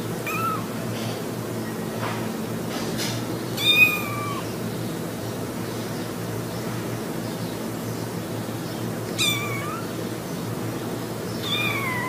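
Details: Kitten in a funny cat compilation: a few short, thin meows, some bending upward at the end, scattered across twelve seconds against a constant hiss of background noise.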